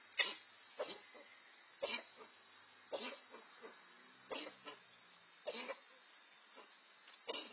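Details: Red fox pair, 4-5 month old siblings out on their own, competing for food; spaced coughing barks and throaty gekkering bursts roughly every second, some doubled, over a quiet background.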